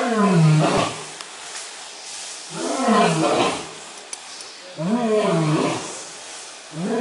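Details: The FURESA zoo lion Gruñon roars in three deep, drawn-out moaning bursts about two seconds apart, each rich and rumbling, with a fourth beginning at the end.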